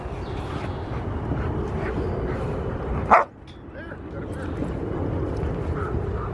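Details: Gent, a six-month-old Rottweiler, playing at the Victoria Rottweiler Club on June 15, 2020: a single sharp, loud bark stands out midway against steady low background rumble and murmuring voices.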